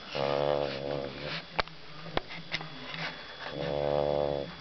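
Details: Sleeping pet dog snoring indoors: two long, rough, harmonic rasping breaths at start and end, with a few sharp clicks between them in a quiet small room.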